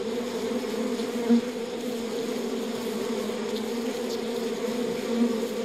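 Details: Even, massed drone from honey bees in the hive: a deep steady hum with a brighter layer on top, a couple of short louder bumps, no other sounds present.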